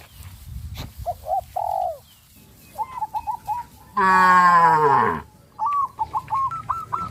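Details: Cows on a village farm running in fear into the forest give one loud, drawn-out moo of about a second. Before and after it come scattered short, looping bird notes and a low background rumble.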